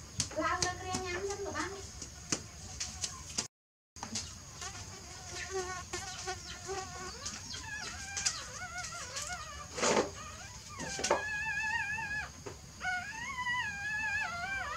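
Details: Newborn puppies asleep, giving short wavering whines in bursts near the start and a longer run of rising-and-falling squeals near the end, with scattered soft clicks and rustles between them.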